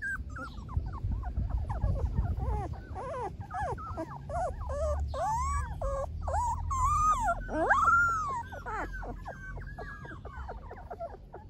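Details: Several Golden Retriever puppies whining together, a dense overlapping chorus of high, bending squeals and arched yelps, some louder cries near the end, with low background rumble.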